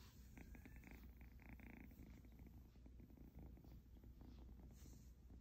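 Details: Purring from an Egyptian Mau kitten: continuous low vibrating rumble pulsing in regular beats, with brief faint higher tonal tones near the start and light handling noise.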